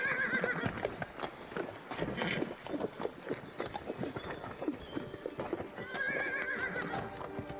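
A horse whinnies twice, high quavering neighs at the start and again near the end, over steady hoof clip-clops.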